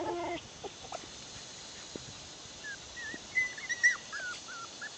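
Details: Bichon Poodle puppies, six weeks old, playing outside: after a few soft muffled sounds, a short series of high wavering whimpers and squeaks in the final seconds.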